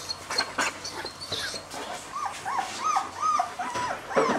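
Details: A two-week-old male German Shepherd puppy gives short, rising-and-falling squeaky whines about twice a second, with rustling and handling noise behind them.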